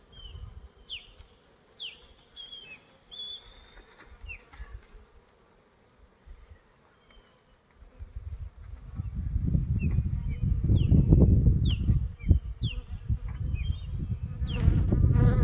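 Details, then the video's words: Honeybee swarm of roughly 20,000 bees, first swarm of 2021, Gulf Coast. Quiet start with repeated short whistled bird chirps, then from about eight seconds a loud, low, continuous buzzing roar takes over, with occasional chirps still above it. "20,000 HONEYBEES! FIRST Honey Bee SWARM OF 2021"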